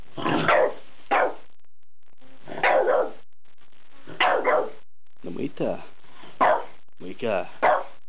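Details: A French Bulldog, excited and anxious on seeing a new pull-up bar, gives short, gruff barks in quick pairs, repeated with brief pauses between.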